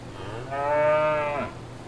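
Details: A single cow on a farm gives one sustained moo of about one second, swelling in the middle and then fading, with a faint steady hum beneath it.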